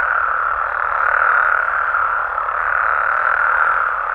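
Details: Frogs and toads calling at night in Mexico: a dense, unbroken chorus of overlapping croaking voices forms a steady mid-pitched wall of sound, with no single caller standing out and no other sounds.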